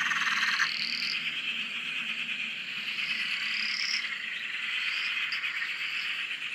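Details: Frog chorus recorded from a shack on a dam in Australia: dense overlapping pulsed trills and rising whistled notes from many frogs, continuous high buzzing layer, steady without pauses.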